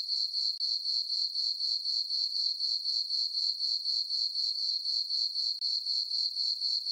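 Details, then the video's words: A full-moon summer night on a farm meadow filled with chirping crickets: a sharp, high, rhythmic pulsing at about four beats per second, very regular, interrupted by two tiny gaps, with no other sounds. "Cricket chirping sounds for sleeping"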